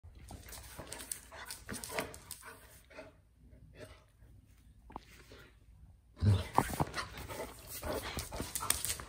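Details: Vincent, a Basset Hound called Vinny, gets very excited during his before-dinner routine. Scuffling, clicking noises and low rumbles fill the first seconds. A sudden louder burst near six seconds carries a brief tonal cry, followed by more busy movement.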